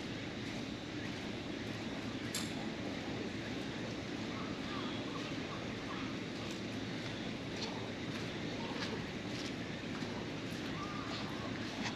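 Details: Steady rain hissing at a fishing harbour, with a low rumble underneath and faint distant voices, and no animal calls.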